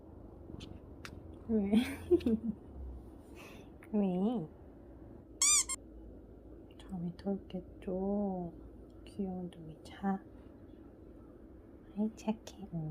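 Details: Hodong, a rescued former street cat who often dreams, murmurs in his sleep indoors: a series of short, soft, bent chirping mews scattered irregularly over several seconds, with faint rustling and clicks.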